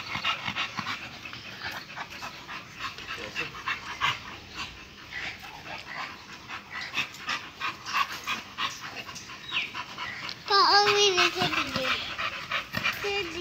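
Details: American Bully male, Bulsky bloodline, panting in quick regular breaths, about three per second, with a brief whine near the end and voices faintly behind.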